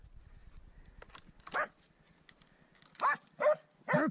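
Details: Swix the dog baying at his first wild boar: a few sharp, loud barks spaced about half a second apart after a quiet start, with a man's praising voice in Swedish nearby.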